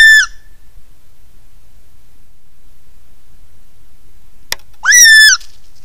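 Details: Gray fox in the Angeles National Forest, thought to be communicating with other foxes: two loud, harmonic, falling-then-rising screams, one at the very start and one near five seconds, with quiet background between them.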